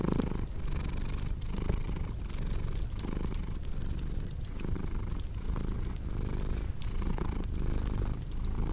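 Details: Close, deep purring of a cat, a continuous vibrating drone broken by short breath gaps about every second, with occasional crackles from a fireplace in the background.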